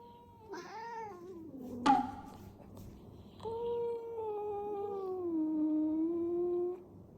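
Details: Domestic cat during a fight, giving drawn-out tonal meows: a short wavering cry, a sharp click, then a long steady yowl that slowly sinks in pitch, in a quiet indoor room.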